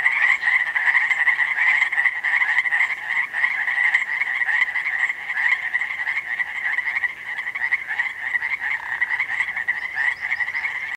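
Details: Chorus of many frogs at Langdon Lake in Oregon, countless rapid chirps blending into a continuous shimmering trill that swells and dips slightly in loudness.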